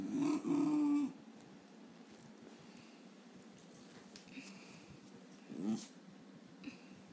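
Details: A male Basenji, woken from sleep, gives a low, throaty grumble lasting about a second, then a brief second murmur; the owner notes many Basenjis grumble like this on waking.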